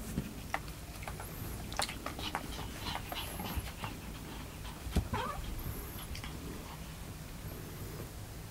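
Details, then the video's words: A Chihuahua barks at a cat sitting in a box, giving short, sharp, high yaps spaced irregularly over a low background hum. "猫に吠える犬 - Dog Barking at Cat -"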